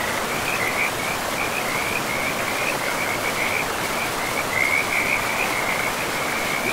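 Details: By a river in a pristine, moss-covered forest, frogs keep up a near-continuous chorus of high, trilling croaks, rising and falling in intensity, set against the constant broadband roar of flowing water.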